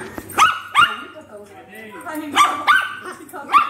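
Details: Poodle in the Philippines barking in a quick series of about six sharp, high yaps over nearly four seconds, in two bursts with short pauses.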